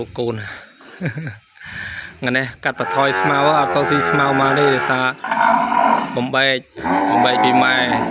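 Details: Calves separated from their mothers at weaning bawl from the pen on a fine, dry day: nearly continuous loud, wavering moos overlapping one another, rising and falling in pitch with only brief breaks.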